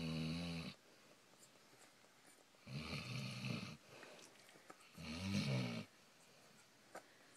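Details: Basset Hound named Gracie sleeping indoors, giving rough rattling snores, three loud buzzy bursts spaced about two to three seconds apart with quiet breathing between.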